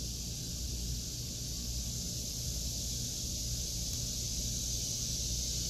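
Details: Cicadas singing in a vegetable garden in August 2023: a steady, unbroken high-pitched buzzing chorus that never pauses, over a constant low rumble.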